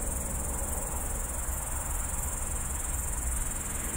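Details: Night-time grasshopper in a bush beside a road at the city edge of Tallinn, Estonia, captured by phone: an unbroken shrill hissing drone, even in loudness throughout, above a low background traffic hum.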